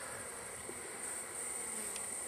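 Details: Wild hive bees during collection of the colony, hive ends boarded with wood plates; continuous massed buzzing drones throughout, overlaid by a thin steady high-pitched tone and a faint tap near the end.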